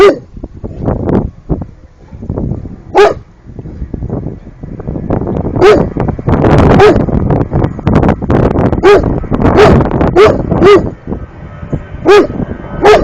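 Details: Thirteen-month-old Cane Corso barking at turtles, with a long run of deep, irregular barks that grow denser in the second half, some close together, over continuous low rumbling background sound.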